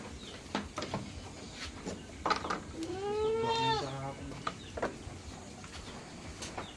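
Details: Farm goats eager to be let out bleat once in a long, wavering, harmonic cry, with scattered clicks and knocks and faint voices around it.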